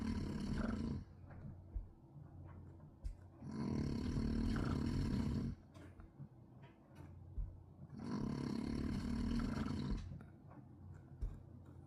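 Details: Loud snoring from a pet dog resting indoors, coarse enough to pass for nearby construction: three long, grating, roaring inhalations about every four to five seconds, with softer rumbling breaths between them.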